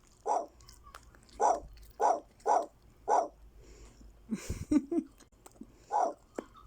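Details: German Shepherd puppy barking in short, mid-pitched bursts, five in quick uneven succession, a pause filled with brief rustling and handling noises, then one more bark; a person speaks briefly nearby.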